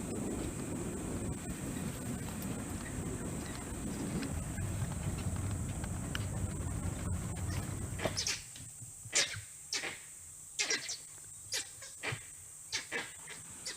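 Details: Langurs sitting in trees in the teak and sal forest of Bar Nawapara Sanctuary, Chhattisgarh, give sharp, harsh alarm barks in irregular bursts, warning of an unseen danger, possibly a leopard or wild dogs.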